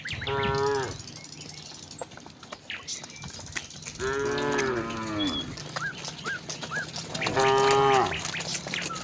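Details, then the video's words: Tame village cattle running down a hill toward their pen; three drawn-out harmonic moos, two rising then falling in pitch, spaced a few seconds apart, with faint bird chirps and a low rumble underneath. "suara sapi moo"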